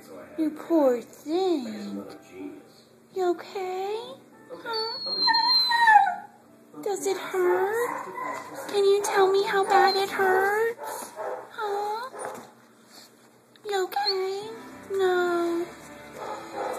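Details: A male Siberian Husky yowls and whines in rising, bending, talk-like tones, complaining about a sore leg after twisting his ankle in a hole he dug.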